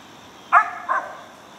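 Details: Mountain Cur pup Benson's King "Prime Time" from an Alabama kennel, treeing a squirrel: two short harmonic barks, the first louder and sharper, the second softer, about 0.4 seconds apart, over a quiet outdoor background.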